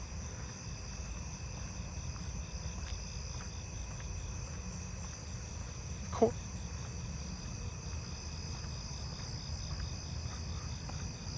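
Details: A narrow-winged tree cricket calling from a tree close by sings a steady, high, pulsing trill at night among other crickets.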